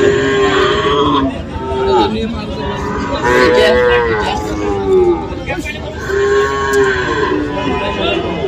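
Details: Small Sahiwal bull calves at a cattle market where a farmer from Mymensingh, Bangladesh, buys them on 7 February. Loud, nasal moos rise and fall, repeating every couple of seconds with several animals overlapping amid market background noise.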